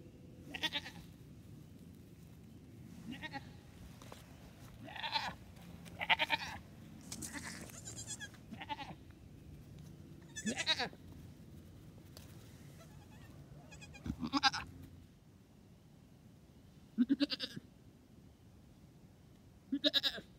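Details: Newborn triplet goat kids, two days old and dressed in pajamas, practising their first hops with the mother nearby; frequent short, nasal, wavering bleats, some overlapping, sounding every second or two with low rumbling background.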